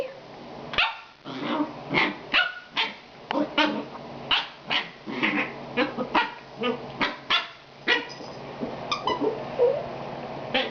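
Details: Itchy puppy vocalizing while wanting something: a fast run of short, sharp yips and squeaky barks, roughly one or two each second, some with a nasal tonal edge, over a steady low indoor hum.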